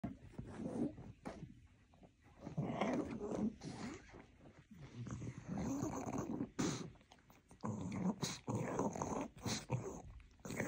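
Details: Lazy pug dog struggling to get out of bed, grumbling and growling in low, rough bursts that come in uneven waves, with brief snorting breaths between them inside a small room.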